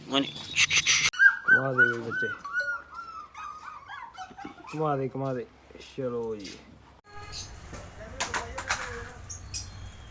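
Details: Puppies offered for sale in India, listed breeds including Labrador, German Shepherd, Beagle, Shih Tzu, Pug, Husky, Boxer, Mastiff and Pitbull; high, thin whines slide downward in quick repeated cries, followed by scuffling, broadband noise near the end.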